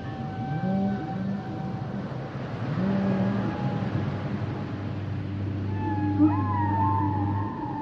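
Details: Singing humpback whales give sustained low moans and higher whistled tones, with a long steady low drone and a wavering high warble near the end, amid rumbling sea noise.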